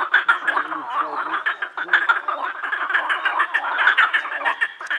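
Many frogs croak together in a thick, continuous chorus. The calls are rapid, rattling and overlapping, forming a steady wall of sound with no pauses.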